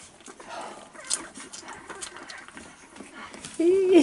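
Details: Staffordshire Bull Terrier mother with her 4-week-old puppies, 34th litter, filmed 11 November 2018; soft shuffling and faint rustling give way to a short, wavering, nasal whine rising then falling at the very end.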